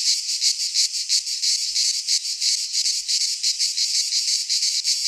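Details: Cicadas singing in midsummer in a Greek pine forest: a dense, high-pitched buzzing chorus pulsing in quick, fairly regular throbs, roughly three per second, with no other sounds.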